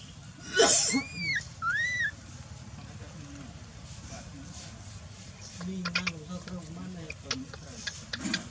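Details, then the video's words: Lying on the ground while mother Dolly pays him no attention, young macaque Dalton lets out two quick high arching cries after a loud rustle, followed by quieter scuffling and low sounds. "the baby monkey lies on the ground and cries"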